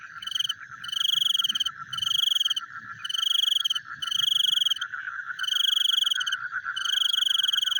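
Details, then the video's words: Nighttime frog chorus, with a continuous throbbing, mid-pitched pulsing and bright, ringing trills of about half a second that start and stop in a quick, irregular rhythm. "The Sound of Frogs Chewing in the Night"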